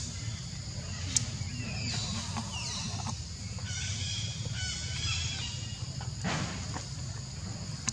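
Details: Hungry baby monkey named Leo crying and begging for milk that its mother withholds; thin high whistled cries with falling and wavering tones repeat through the clip over a low rumbling background, with bird calls heard outdoors.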